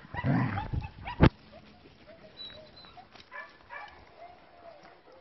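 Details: Short-haired working-line German Shepherd puppies, bicolour and black, give a loud, low yelp, then thin, high whines and squeaks.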